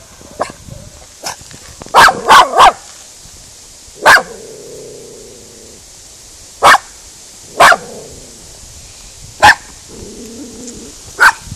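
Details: Female miniature schnauzer Spizy barks at cows, her first encounter with them, trying to drive them off without success. Around nine sharp barks, including a quick burst of three, are interspersed with low lowing cow moos.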